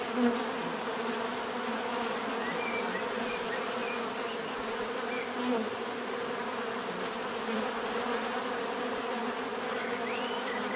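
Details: Many bees humming together in an unbroken, even buzz, a dense low drone, with scattered faint bird calls over it.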